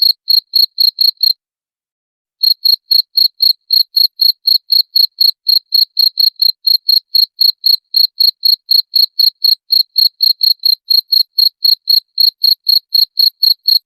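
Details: Cricket sound offered as a rat repellent: a fast, even train of bright, high chirps, roughly four per second, broken by a brief silence early on, then continuing unchanged to the end. Clean, with no background noise.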